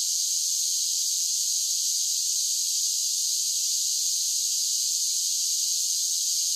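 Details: A summer chorus of cicadas forms an unbroken, even, shrill buzzing drone that stays constant and loud throughout, with no other animals or background noise heard.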